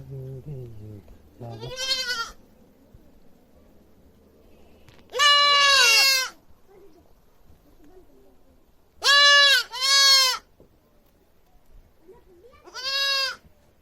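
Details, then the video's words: Goat kid bleating loudly: scattered harsh, quavering bleats, one single, then a double bleat in quick succession, and a final call, separated by quiet pauses with faint low background sounds. "Goat Beby Sound Effects Baa Baa Baa || Goat Screaming loudly"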